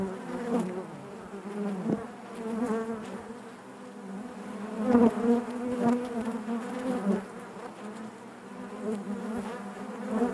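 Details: Inside a honey bee hive, a steady collective hum from many bees, layered tones rising and falling in loudness, with a brief louder surge near the middle and soft ticking sounds among the buzz.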